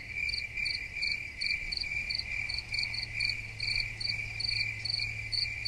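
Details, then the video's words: Crickets chirping steadily: short, high, pulsed chirps repeated about two to three times a second, with overlapping callers and a faint low hum underneath. "Soothing Cricket Sounds"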